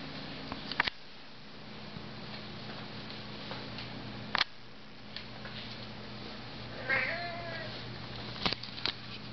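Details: Pet cat guarding its Arizona home against a visiting desert cat; one short, tense, falling meow late in the recording, surrounded by loud sharp clicks and knocks over a constant low hum.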